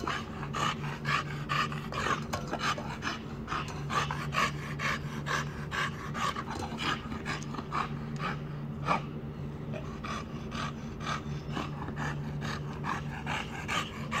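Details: Bulldog named Borys, called brave, breathing in fast raspy pants roughly twice per second, the rhythm steady and slightly uneven, with a constant low electrical-sounding hum underneath.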